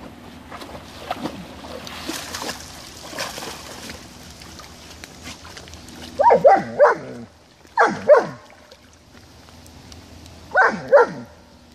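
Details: German Shepherd dog playing in a puddle of water, giving short harsh barks and yelps in three clusters of two or three in the second half, after a stretch of splashing and low background noise.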